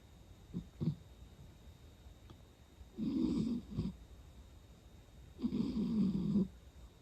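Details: A sleeping pet cat snoring indoors in a small room: two rough, raspy breaths about three seconds long at the start and end, separated by shorter soft snorts and quiet pauses.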